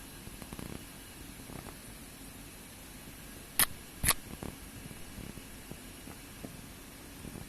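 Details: Male house cat called Neko 3-gouki purring while launching a spinning play attack to get someone to play with it; a low, steady rumble with soft rhythmic pulses, broken by two sharp knocks near the middle.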